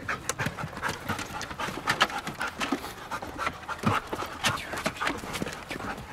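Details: German Shepherd named Mona, a trained dog from Kraftwerk K9, working through a series of commands; steady rapid panting, breathy huffs repeating several times a second, with a few sharper bursts of breath throughout.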